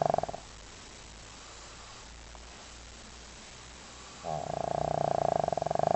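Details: Leo, a pet dog, in deep sleep snoring loudly; a snore tails off in the first moment, a quiet pause follows, then another loud buzzing, rattling snore builds and carries through to the end.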